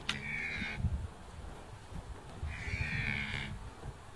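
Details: A red deer stag in a forest gives deep, rough bellows during the autumn rut after antler fights for dominance; the loudest bellows come from the victor, proclaiming himself the breeding male.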